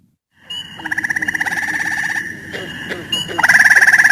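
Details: A gray treefrog (Hyla versicolor), whose call is slower than that of Cope's gray treefrog, gives a slow, musical pulsed trill lasting a couple of seconds, then starts another.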